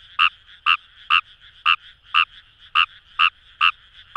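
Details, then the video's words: Kawamura's rice frog (ヌマガエル) calling in paddy fields along the Kamo River, Itoshima, Fukuoka, Japan: sharp, bright croaks repeated about twice a second, nine in a row, each a short nasal burst over a quiet background. "Wild Frog Call | ヌマガエル"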